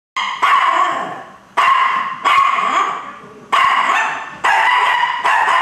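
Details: A dog watching TV gives a series of sharp, ringing barks at animals on screen, each trailing off before the next.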